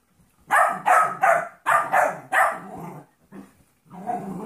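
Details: Trouble, a 14-week-old golden retriever mix puppy, plays rough with Monkey, a 2.5-year-old jack russell/rat terrier mix. Five harsh, growly barks in quick succession, then softer broken grumbles and a rough growl near the end.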